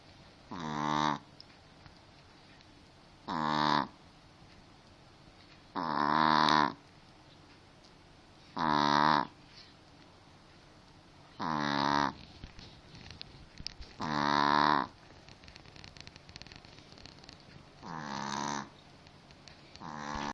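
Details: A pet dog snores loudly. Eight strong, drawn-out, harmonic snores, each slightly falling, come roughly every two and a half to three seconds. A faint crackling rustle is heard between some of them.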